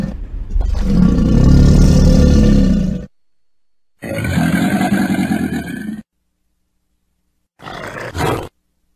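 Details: Crocodile giving deep, rumbling growls in three bursts; the first is loudest and lasts about three seconds, the later two are shorter, with sudden silences between them.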